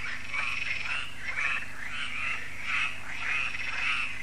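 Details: Frog chorus at Lac de Sabatte, a lake in France, heard yearly in the evening as solar lights come on; dense overlapping croaks pulse in quick, uneven bursts, several callers at once with a steady low hum beneath.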